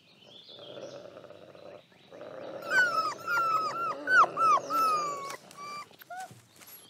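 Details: Lighthawk, a wolf father with seven pups of the year, setting rules as they pester him: loud, strongly arched whines and yelps repeated in rapid succession over a low rasping growl, then a few trailing squeaks.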